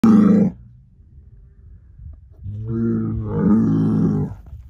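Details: Herd sire bull, a son of SAV Harvestor 0338 born in spring 2018, gives deep harmonic bellows: a short loud burst, a pause, then a longer rising, roaring moo that swells and then fades, with no other clear sounds.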